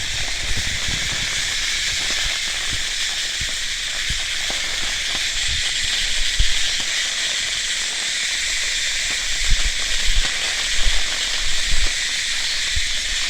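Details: Continuous shrill cicada buzz, an even hissing drone running the whole time, with scattered low thumps and rumbles, likely wind or handling, beneath it.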